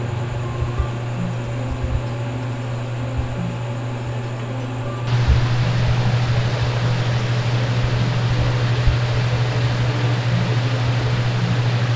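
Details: A steady mechanical hum like a fan or engine runs throughout, growing louder and hissier halfway through, with no animal voice.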